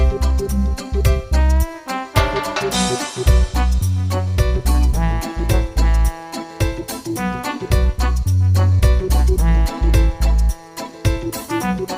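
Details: Loud upbeat swing-style music with a strong bass beat fills the recording, and no animal sound comes through.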